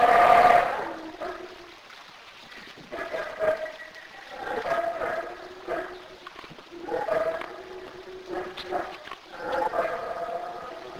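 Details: Black howler monkeys in Belize calling in repeated groaning, harmonic bursts every two seconds or so, after a brief loud opening noise.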